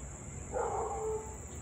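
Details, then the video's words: Siberian Husky heard from afar during nearly half an hour of continuous barking and howling, 6:24 pm on 3 August 2021: a single brief, wavering tonal yowl of under a second against a steady high hum. "Husky to barking and Howling nearly 30 mins straight."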